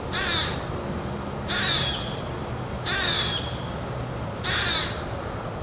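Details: Squirrel calling, either greeting or angry: four sharp, harsh, hissing barks, each about half a second long, spaced roughly every one and a half seconds over a steady low background hum.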